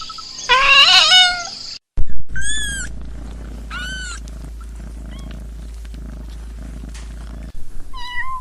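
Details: Cat making a call said to sound like laughing: one loud, strained, wavering meow, then two short arched chirping calls about a second and a half apart, fainter chirps later, over a steady low hum.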